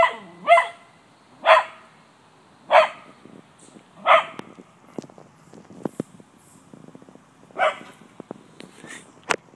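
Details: Cocker spaniel barking at a white-tailed deer in the yard to drive it away: five loud, rough barks spaced one to two seconds apart, with scattered clicks and rustling between them.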